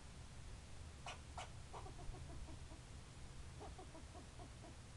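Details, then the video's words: A squirrel gives rapid series of clipped, chirping barks at about three per second, in two bursts, after a couple of sharp snapping clicks, with low rumbling background noise. "Barking Squirrel"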